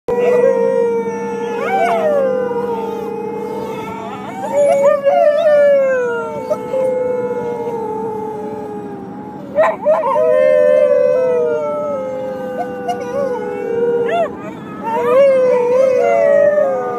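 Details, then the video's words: Whippets howling together, long sustained wavering tones that rise and fall, several voices overlapping in a drawn-out chorus with brief louder yelps and pitch swoops around 5, 10 and 15 seconds. "Traveling Whippet Band"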